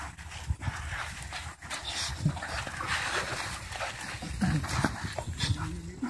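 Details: Three dogs of different sizes playing happily in a park, giving low rumbling growls and panting amid scuffling, with Spanish speech from people nearby.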